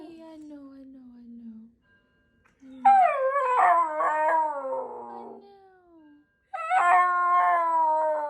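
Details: Shiba Inu dog screaming at a fire alarm: a low drawn-out wail, a pause, then a loud harmonic scream that wavers and slides downward, and after another gap a second loud sustained scream.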